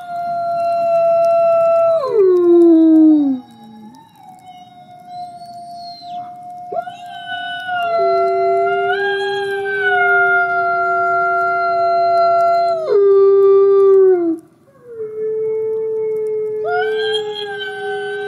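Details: Nikai, a captive-born gray wolf and ambassador wolf at the Wolf Conservation Center in South Salem, NY, howling in the snow: several long tonal howls that glide down sharply, hold steady, then step back up, with overlapping voices.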